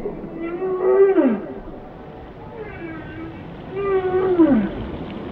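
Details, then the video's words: Whale song: two loud harmonic moans that waver then sweep sharply downward, separated by a quieter wavering tonal phrase, over soft continuous hiss. "Song of the Whales"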